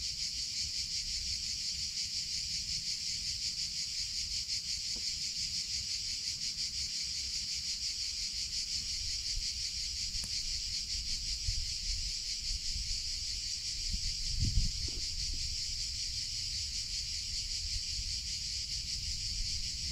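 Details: Continuous, shrill buzzing of cicadas in summer, even and unbroken, with a few soft thumps and a low rumbling sound partway through.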